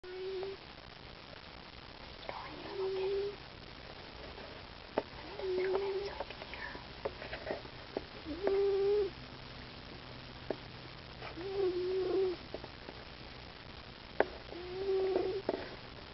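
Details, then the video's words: Cash, a pet cat, snoring while asleep indoors: soft, whistly nasal tones recur steadily about every three seconds, each lasting under a second, over quiet room background. "snoring cat cash"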